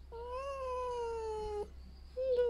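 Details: Pet red fox greeting its keeper in the morning as breakfast is brought, happy and excited; a long, drawn, whining tonal cry with rich harmonics, gently rising then slowly falling, followed by a shorter second cry, indoors.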